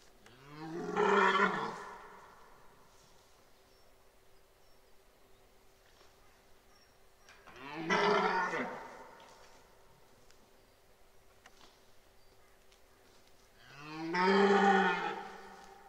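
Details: At Boutissaint natural park during the 2023 rut, a red deer stag roars three times, about every six to seven seconds. Each roar is a deep, rasping swell that rises and fades, over a faint steady hum and quiet gaps.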